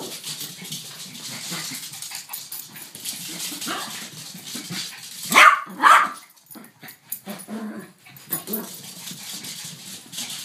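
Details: Two pet dogs, a Yorkshire Terrier and a King Charles Spaniel, together indoors, one barking twice in close succession. The barks are sharp and high over a steady background hiss and faint rustling.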